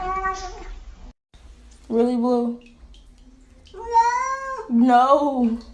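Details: Pet cats making talkative meows: four drawn-out, wavering calls in quick succession, the later ones rising then falling in pitch, amid background room noise.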